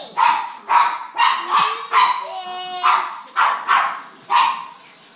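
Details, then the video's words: Pet pug reacting to people sneezing indoors: a series of short, sharp yapping barks roughly every half second, with a brief thin whine in the middle of the run. "The pug who hates sneezes"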